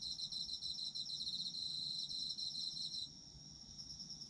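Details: Autumn insects calling in a dense, high chorus: rapid pulsed trills layered over a steady shrill ringing, with the louder pulsing layer dropping out after about three seconds to leave a thinner continuous whine.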